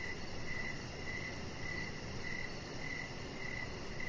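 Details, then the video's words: Crickets at evening outside on a deck with a small chihuahua dog relaxing; short high chirps repeat at an even pace of about two per second, set against a low steady background hum. "Chihuahua Puppy Laying On Deck with Cricket Sounds"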